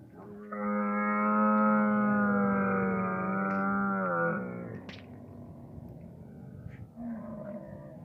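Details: Camel beside its calf, giving one long, loud, steady harmonic moan lasting about four seconds that drops and breaks off at the end, followed by quieter low grumbling and faint background noise.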